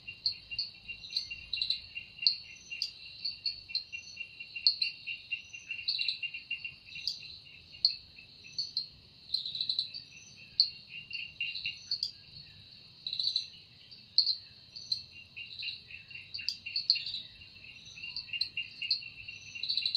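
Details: Forest insect song at evening attributed to cicada: sustained high buzzing with rapid rhythmic pulsing in two bands, punctuated by frequent louder bursts over twenty seconds.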